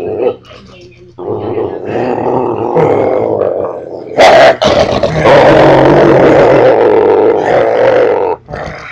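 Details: German Shorthaired Pointer, a dog that growls even while giving kisses, not out of meanness; a long, continuous, rumbling growl with brief breaks and a short sharp noise midway.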